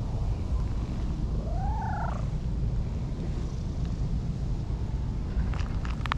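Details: Friendly orange tabby cat, outdoors, having climbed up a hill to seek affection; one drawn-out meow that rises and then bends back down. Steady low wind rumble fills the background, with a few faint clicks near the end.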